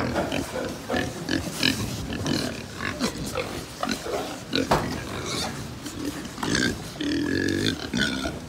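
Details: Pig farm in Japan, many pigs together: choppy grunting and snuffling mixed with clanks and short squeals. A longer, nasal, wavering squeal stands out near the end.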